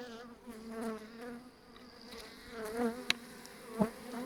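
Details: Honey bee colony with a nosema problem and a soiled landing board, sprinkled with vinegar water on a warm day; steady droning hum with layered overtones that waver in pitch, broken by a few sharp knocks.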